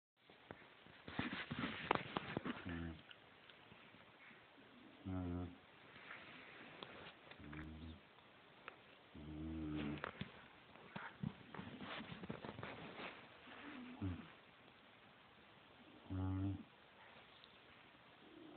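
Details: Pet bulldog snoring indoors, recorded on a phone: deep, rasping snores with strong low harmonics, each lasting about half a second and coming roughly every two to two and a half seconds, with some handling noise early on.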